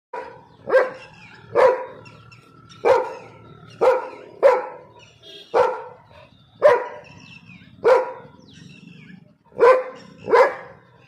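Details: A black Labrador Retriever barks in deep, single woofs spaced about a second apart.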